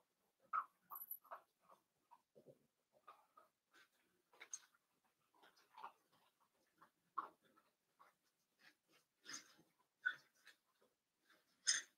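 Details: Five newborn blenheim Cavalier King Charles Spaniel puppies, born on New Year's to Paris and Spike, in an indoor puppy pen: short high squeaks and whimpers in quick uneven bursts, some sharper yelps near the end.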